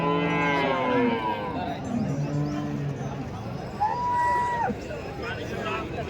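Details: Cattle gathered for sale at Chalisgaon cow market, 23 March, a Saturday. Deep, harmonic-rich moos sound at the start, followed later by a higher, drawn-out call, all amid constant human voices and crowd bustle.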